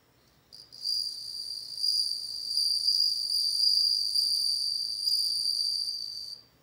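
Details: Bell cricket starting up with a short tentative chirp, then a sustained bright, tinkling high trill with overtones, wavering in loudness for about five seconds before stopping.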